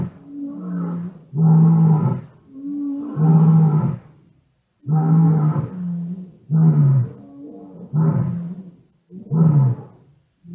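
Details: Black-maned lions calling at night outside a lodge room in Kgalagadi National Park, South Africa, 9 January 2018, recorded close by on a cellphone: deep, penetrating moaning grunts in a rising-then-falling series, about six bursts, slightly fuzzy.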